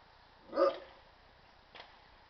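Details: Komondor pups with other household dogs: one short, loud bark, then a fainter second yap a second later against a quiet indoor background.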